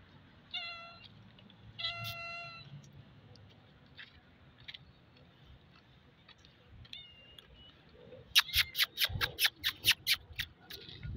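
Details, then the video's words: Two street cats in Saudi Arabia block a man's path on the road, begging for food: clear, drawn-out meows come several times, then a fast run of sharp ticking sounds near the end. "সৌদি আরবের বিড়াল গুলো আমার দিকে তাকিয়ে খাবার চাচ্ছে"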